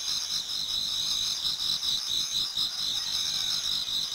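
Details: Many autumn insects singing together in a Japanese garden towards dawn: dense, steady high trilling and chirping in two bright bands, the overlapping pulses giving a shimmering, continuous texture with no other clear sounds.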